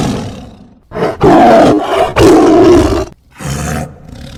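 A tiger gives deep, rasping roars in loud bursts with brief pauses between them.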